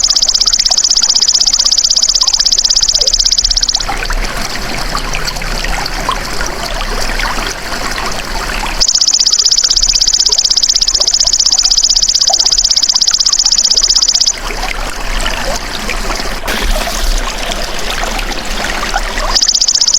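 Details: Golden grasshopper calling for a songbird training recording: bursts of high, fast-ticking buzzing lasting about four to six seconds alternate with pauses filled by soft trickling, rustling background noise.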